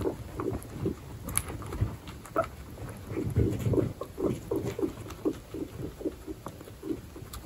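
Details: Baby guinea pigs with pregnant females, part of a 29-animal pet group, produce low, short grunting notes repeated in quick irregular series, with background rustling of bedding.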